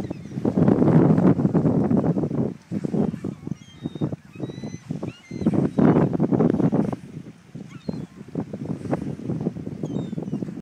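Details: Wild sea lions, seen up close while feeding on herring off the rocks of French Creek beach near Parksville, British Columbia, during the annual bird migration. They give loud, deep, rough roars in rapid overlapping bursts, with thin high bird calls above.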